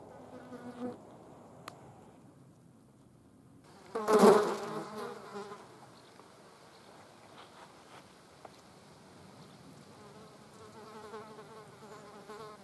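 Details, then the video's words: Green bottle flies feeding on a dead mouse; a loud buzzing burst of about a second rises near the middle, with fainter humming flight passes before and after it. "Grüne Schmeißfliegen auf toter Maus."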